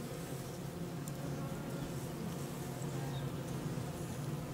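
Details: Honey bees around hives in the Corsican maquis, producing a steady, unbroken low hum with a faint hiss of wider buzzing above it.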